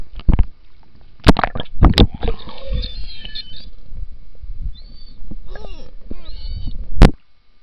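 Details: Beluga whales underwater in the Churchill River, Churchill, Manitoba, next to Hudson Bay during summer; high thin whistles and a cluster of quick chirps after splashy knocks, with steady low murmur of water.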